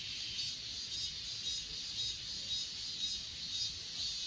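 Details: Achasan mountain grass insects captured on an S20 Ultra: continuous shrill ringing trills layered into a steady high buzz, faintly pulsing throughout, with no other animals or voices standing out.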